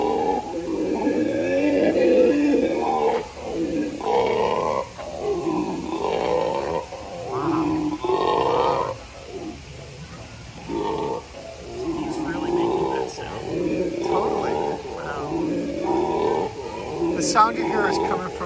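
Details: A howler monkey at a zoo gives deep, guttural roaring howls in rhythmic, throaty bursts.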